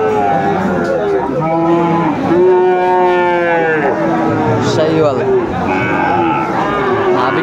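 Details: Sahiwal bull calves bought by a farmer in Comilla, Bangladesh, 1 October 2024: a long, loud, drawn-out moo rises and then sags over about three seconds, followed by a shorter lower moo. Bengali speech and market chatter continue throughout.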